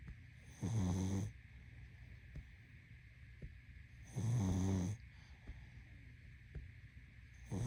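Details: A pug asleep gives long grating snores roughly three and a half seconds apart, each a low vibrating rumble lasting over half a second, with soft clicks and a constant background hum between breaths.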